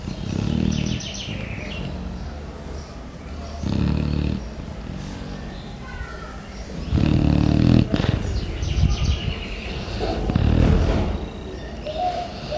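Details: A Chow Chow in deep morning sleep snores loudly like a human, with deep rumbling breaths repeating about every three seconds.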